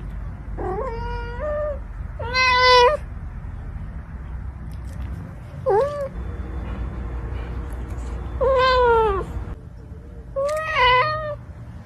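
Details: Pet cat meowing five times over about twelve seconds, each meow loud and clear with a rising-then-falling tone, some short and some drawn out, against a low steady background rumble.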